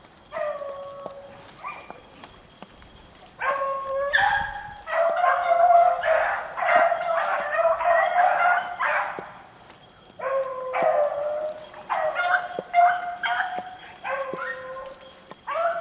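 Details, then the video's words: Rabbit-hunting beagles in the rain give tuneful bawling bays, single voices at first, then a dense overlapping pack chorus of drawn-out notes, easing to spaced, repeated bays again near the end. "rabbit hunting with beagles in the rain"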